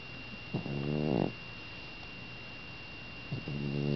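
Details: Sleeping cat snoring indoors, two harmonic rasping snore breaths with pitch rising on the inhale, separated by a quiet pause; steady high electrical whine throughout.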